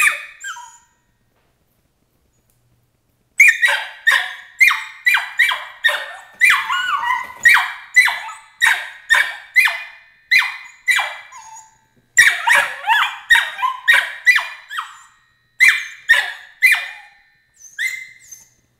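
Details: A Border Collie puppy named Emily, 13 weeks old, objects to her crate with long runs of piercing yelps, each sharp onset tailing down, coming roughly twice per second after a quiet opening, with brief gaps between bursts.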